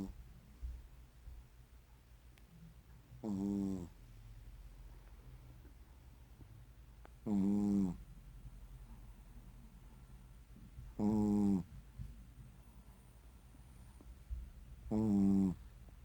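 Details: Sleeping Shih Tzu snoring indoors: four rich, harmonic nasal snorts about a second long, spaced roughly every four seconds, with faint soft breathing between them in a quiet room.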